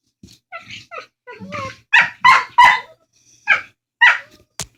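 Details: Pet dogs trading odd talking sounds over a bone: soft low grumbles give way to louder, rhythmic howl-like yowls, about three per second in places, ending with a sharp click.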